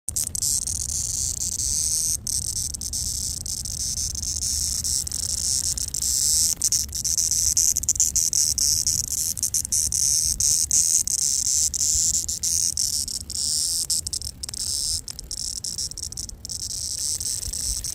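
A cicada gives a steady, high-pitched buzz that holds unbroken from start to finish.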